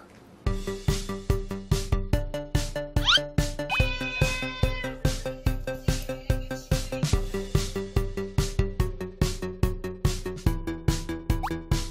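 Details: Bouncy children's music with a steady, plucky beat, boing-like effects and a quick rising slide near three seconds; no animal voices are heard.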